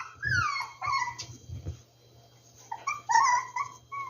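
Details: Rescued puppies give long downward-sliding whines, a few soft low grumbles, then after a short quiet spell a fresh cluster of high, wavering whimpers.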